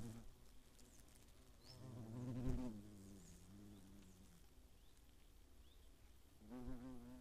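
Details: Eifel hornets attacking in 2017: a low, wavering wing drone that builds to a close, loud pass after two seconds, fades, then returns near the end.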